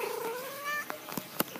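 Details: Indoor domestic cat voices a single gliding meow that rises then levels off, followed by a few sharp clicks and taps, with a person meowing nearby.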